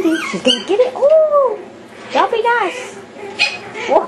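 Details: Yorkshire Terrier puppies going wild at play in a small room: loud, arching, high-pitched whines and yelps, each rising then falling, in three clusters separated by brief pauses.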